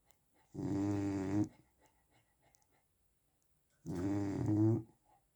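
A sleeping Chow Chow gives two deep, rattling snores, each lasting about a second. The throaty buzz rises slightly at the end of each breath, with quiet pauses between.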